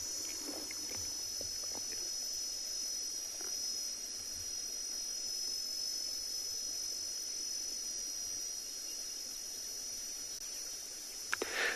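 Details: At sunset on 11 December in the Tswalu Kalahari Reserve, South Africa, a male cicada sings a steady, high, shrill buzz to attract mates, droning without a break beneath a man's voice.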